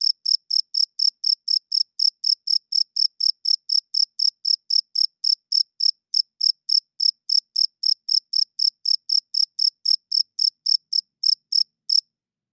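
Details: A cricket calling loudly at night. Some fifty sharp, high-pitched chirps follow one another at a steady pace of roughly four per second, then stop abruptly just before the end. Nothing else is audible.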